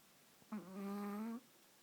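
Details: Chihuahua napping while being held, snoring: one smooth, humming nasal tone lasting under a second, steady in pitch with a slight lift at the end, in a quiet small room.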